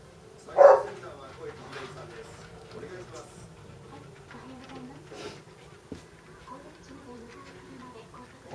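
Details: A Basset Hound in a playful battle with another dog gives one loud, deep bark, followed by softer murmuring sounds and some human speech.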